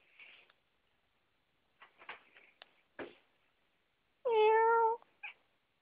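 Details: Domestic cat in a household where one cat jumps onto a door while another watches, apparently after hunting; one loud, clear, harmonic meow lasting under a second near the end, preceded by soft scuffs and knocks.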